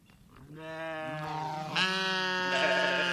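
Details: A grazing sheep in a grassy meadow lets out one long, drawn-out bleat that swells in loudness and quavers as it goes, nasal and rich, ending abruptly.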